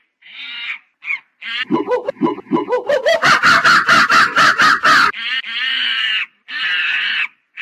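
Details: Monkey building from short screeches into rising whoops that speed up into a fast run of loud, pulsed barking calls, ending with long, steady, shrill screams.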